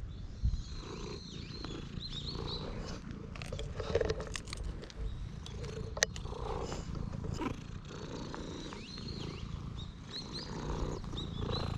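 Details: Temple stray cat that ran straight up to a person, filmed with a GoPro HERO8. A continuous low purring drone fills the clip, overlaid by brief high curved chirps, sharp clicks and rustling near the microphone.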